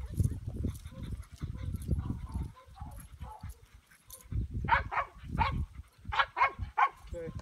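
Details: Started male English Pointer, two years old, from Elhew champion lines, gives a run of loud, sharp barks in clusters of two or three. The barks come roughly every half second after several seconds of low rumbling background noise.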